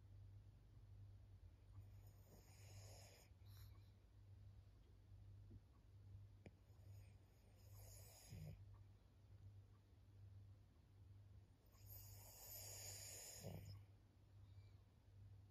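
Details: Fourteen-year-old fawn pug Maria, an elderly female in Japan, snores in faint hissing breaths that recur every few seconds, with a strong one near the end, against a droning background hum.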